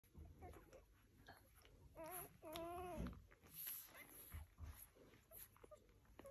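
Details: Rhodesian Ridgeback puppies whimpering and whining, with short rising and wavering squeals in the middle, amid soft scuffling and quiet background noise.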